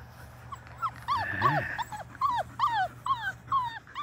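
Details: Five-week-old Labrador Retriever puppies, six in the litter, playing in a water-filled baby pool, give a run of high, arching whimpers and yelps, repeated about twice a second, with a low steady hum beneath.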